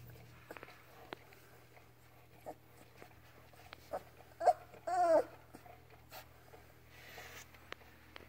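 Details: Labrador Retriever puppy Ripley, learning to walk and starting to play with its mother Halia: one short yelp, then an arching, wavering whine of about half a second, amid soft thumps, clicks and quiet indoor stillness.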